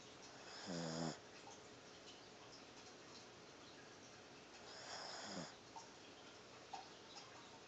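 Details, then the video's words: Little female puppy Chia asleep and snoring: two raspy, rattling snores about four seconds apart, each roughly half a second long, with a quiet indoor background between them. "Snoring puppy chia"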